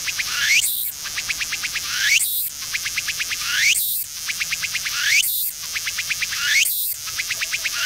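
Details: Tsukutsukuboshi cicada perched on a tree by the coast in autumn, singing unusually slowly in cool weather; buzzy high phrases repeat about every 1.5 seconds, each a rapid train of pulses ending in a rising sweep, with steady high hiss between.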